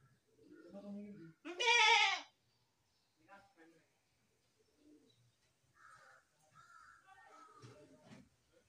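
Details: One strong, shaky goat bleat near the start, followed by several seconds of faint, scattered murmurs and soft background noises.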